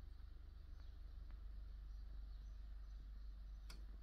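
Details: Julia, a pet cat, purring: a continuous deep low rumble with a steady throbbing pulse, a few faint light ticks and a brief sharp click near the end.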